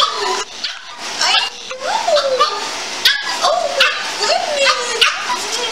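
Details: Dog greeting its owner as she returns after a week away, excitedly whining in rising and falling wavering cries between bursts of human speech and laughter.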